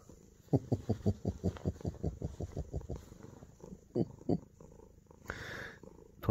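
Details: Male Munchkin cat indoors, burrowing under its owner's armpit and wanting to sleep with him; a run of rapid, throbbing purr-like pulses for about two seconds, a pause, two louder pulses, then a short breathy hiss.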